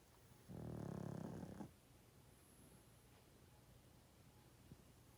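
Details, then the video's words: A 12.5-year-old pug, asleep, lets out one long, loud snore of just over a second, gravelly and vibrating, followed by quiet with a faint steady hum indoors. "Pug play, sleep 😴 & snoring loud"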